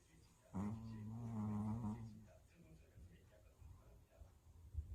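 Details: A very tired dog snoring indoors: one low, rasping snore of about one and a half seconds with a humming tone, followed by quiet breathing and faint background noise.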